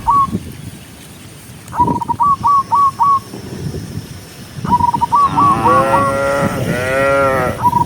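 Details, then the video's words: Cows driven along a country road; after several bursts of fast, short whistled notes, a long, rich, two-part moo swells up near the end, with a low background rumble throughout. "Cow sound cow Moo"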